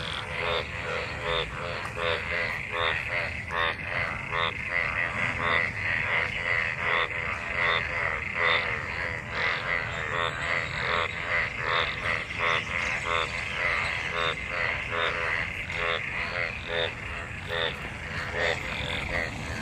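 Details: Dense chorus of many frogs mating in rain-filled water after the monsoon: continuous buzzy, pulsed croaking, individual calls repeating quickly and stacking into a steady, rhythmic din.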